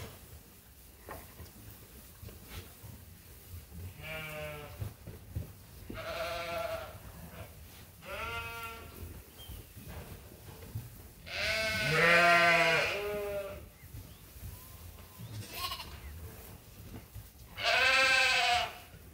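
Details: Sheep and lambs on Ewetopia Farms during feeding chores in lambing season; scattered bleats spaced a few seconds apart, two louder, wavering calls standing out over low farm background noise.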